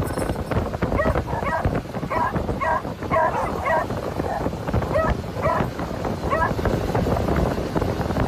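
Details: Three excited beagles ride in a customised moped sidecar on a road trip in Phetchabun, Thailand, barking and wagging tails as the owner drives around 40mph; a run of short, high yelping barks over steady engine and wind rumble.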